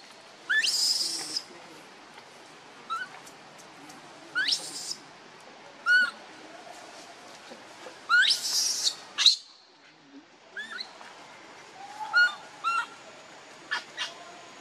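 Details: A hungry baby monkey begs for milk from its mother. Harsh, broadband screams alternate with short, tonal, arching whimpers, scattered irregularly with brief quiet gaps.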